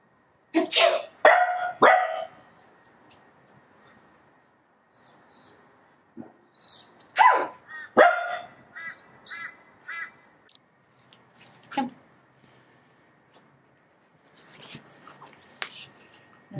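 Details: Maple, a female Pembroke Welsh Corgi kept as a pet, barking in disapproval while being mildly annoyed indoors. Sharp, harmonic barks come in short bursts: a quick cluster of about four at the start, a pair midway, one more later, with quiet rustling between.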